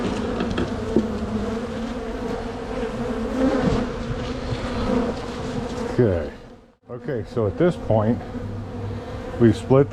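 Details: Dense hum of a strong honey bee colony opened for a spring split and relocation, a steady drone for about six seconds, then human speech over the buzzing.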